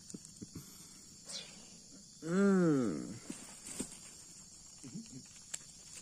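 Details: A young leopard cat, a kitten being raised on formula milk, utters one arched, harmonic wail that rises and then falls over most of a second. The call stands out against faint insect hum and small handling noises.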